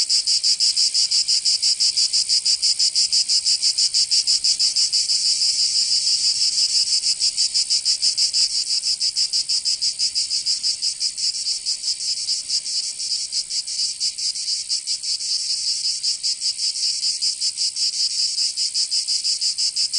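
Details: Cicadas singing in summer in Provence, southern France: a dense, high, hissing buzz pulsing rapidly and steadily for the full twenty seconds, with no other sounds.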